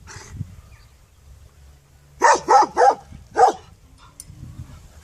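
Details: Dog barking: a quick run of four sharp, loud barks in little over a second after a quiet start, with low background rumble.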